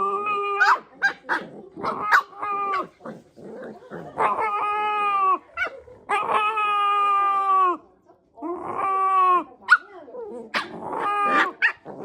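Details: Pet Shiba Inu making strange noises: a series of harmonic, wavering yowls and howl-like whines in bursts of one to two seconds, separated by short yips and gaps, sounding almost like singing.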